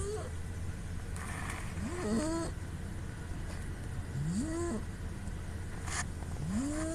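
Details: A sleeping female cat named Puu gives nasal snoring sounds caught on a smartphone: thin whistling tones that slide upward, some with short fluttery breaks. They come roughly every two seconds against a low background drone.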